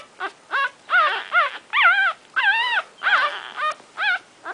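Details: Nursing Shorkie Tzu puppies, one week old, give rich whining squeals with bending, wavering pitch, about eight drawn-out cries in under five seconds, close and loud.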